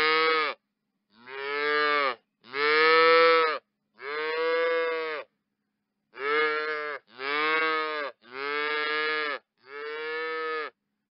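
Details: Cow moos in a series of eight short, even, harmonic calls, each under a second, delivered in two groups of four separated by a brief gap; clean background.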